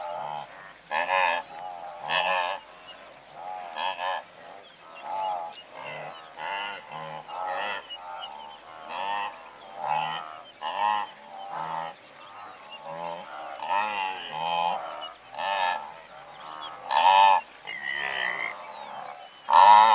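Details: Several hundred blue wildebeest calling together, larks and braying zebra in the mix: dense overlapping nasal honks and grunts, many callers at once, some louder close calls standing out, with scattered high bird chirps.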